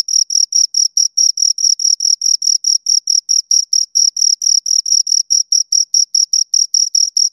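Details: Two crickets give a sharp, repetitive chirping, bright short pulses repeated several times a second at a steady pace, recorded close with a quiet background.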